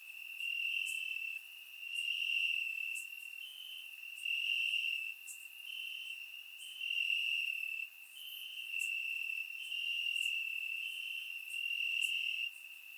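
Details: Warm summer night in Bulgaria with crickets chirping in the grass, surround microphone; a sustained piercing trill from multiple insects, alternating louder and softer phases every one to two seconds, thin high ticks above.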